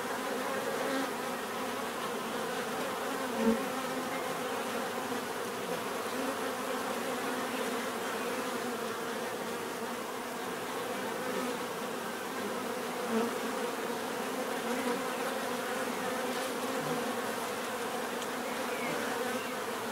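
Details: Bees buzzing steadily in a continuous, dense hum with a faint overlapping drone and no clear breaks, a couple of soft clicks standing out briefly.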